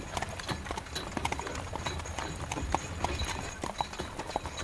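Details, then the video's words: Hooves of a carriage horse clatter in rapid, regular clip-clop beats while heavy rain hisses throughout and wheels rumble low underneath. "Horse Carriage Through Rain"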